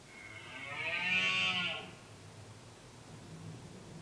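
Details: A red deer stag in the late-summer rut, trying to hold a group of females and drive off other males, gives one hoarse, harmonic bellowing roar of about a second and a half that rises then falls in strength.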